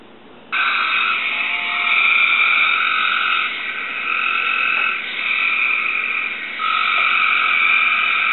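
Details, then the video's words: A pet Cope's gray treefrog sings back to a played recording, giving a harsh, buzzy, rapid and raspy trill that runs almost without pause. "Cope's Gray Tree Frog Sings to a Recording"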